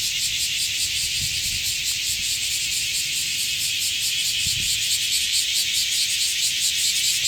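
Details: A chorus of cicadas in Sano Park, Shingu: an unbroken, intense high sizzle that beats in quick regular pulses, with a couple of faint low knocks beneath.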